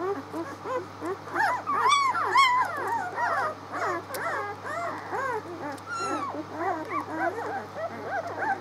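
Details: Six-day-old puppies, recorded on 19 March, giving a chorus of overlapping high whimpers and squeaks, short rising and falling whines repeated about twice a second, with a few louder yelps; a low steady hum runs underneath.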